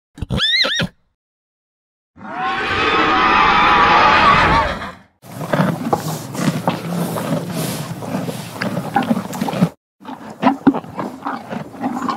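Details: Horse calling in short separate bursts: a brief, high, falling whinny, then a long, loud, harmonic neigh lasting about three seconds, followed by rough, noisy snorting and scraping sounds with short silent gaps between them.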